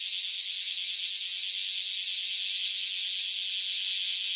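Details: Freshly emerged cicadas in full chorus after their long life underground, a steady shrill high-pitched hiss-like drone with faint rapid wavering and no other sounds.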